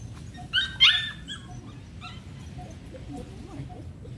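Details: Belgian Malinois being introduced to bite work in dog training: a quick pair of sharp, high yelping barks near the start, then quiet handling noise with faint low rumble.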